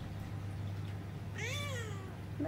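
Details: Indoor rescued cat giving one brief, bending meow that rises then dips, heard over a constant low hum with a faint voice at the end.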